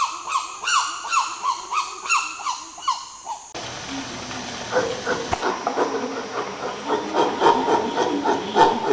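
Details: Chimpanzee pant hoot, a display of strength and dominance: rapid rhythmic hooting pants for about three seconds, then a noisier stretch of overlapping hoots and screams with a hissing background.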